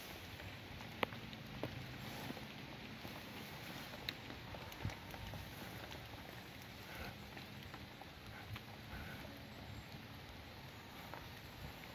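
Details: Only a steady low hiss with scattered soft taps and clicks; no animal voice can be made out. The taps could be light patter or handling noise.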